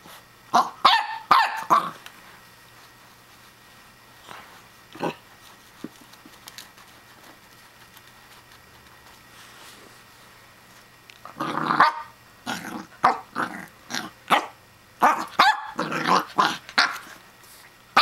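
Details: Young Pembroke Welsh Corgi confronting a plastic hedgehog toy, giving bursts of high, ringing barks: a quick cluster at the start, a long lull, then rapid strings of yaps near the end, alongside a person's encouraging voice.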